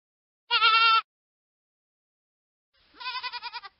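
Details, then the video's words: Hogget, a young sheep, bleats twice. The first is a short steady nasal bleat with a fine tremor. After two seconds of silence comes a longer, pulsing, wavering bleat that fades at the end. The background is clean and quiet. "hogget sound effect"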